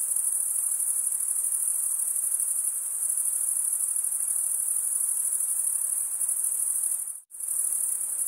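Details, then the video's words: Crickets stridulating in a constant high, ringing trill that cuts out abruptly for a split second near the end and then resumes at the same level. "Most relaxing cricket sound for 8 hours"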